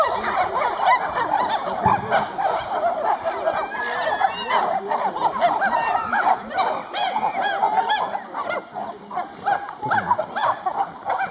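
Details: Chimpanzees at the sanctuary on Ngamba island: a dense, overlapping chorus of harsh screams and wavering hoots. The calls run almost continuously for about eleven seconds, rising and falling in loudness without a clear pause.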